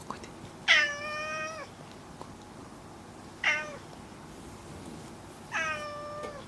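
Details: House cat Kuri talking to its owner among other household cats; three loud, drawn-out meows, each starting abruptly and holding a steady tone before trailing off, spaced about two to three seconds apart in a quiet indoor room.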